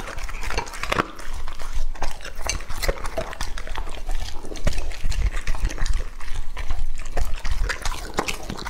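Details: Close-up feeding of Lucky, a male English-type Labrador aged two and a half, on raw meat; moist slurping chews and sharp irregular bite clicks pour out continuously in a thick, busy stream.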